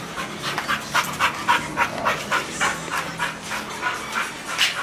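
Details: Playing together, a pit bull and a bull terrier; one dog pants rhythmically, about three and a half breaths per second, each a rough breathy puff, steady throughout.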